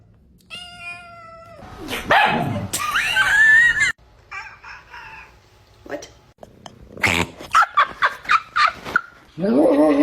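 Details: Domestic cat (Felis catus) its owner jokingly calls broken gives odd, warbling meows bending up and down in pitch while people laugh nearby; possibly asked if it wants to eat.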